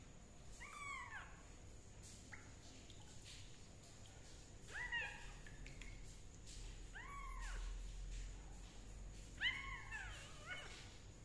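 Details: Kitten undergoing fungus treatment with leaf juice gives four drawn-out meows, each rising then falling, spaced about two to three seconds apart, over a steady low hum and light rustling.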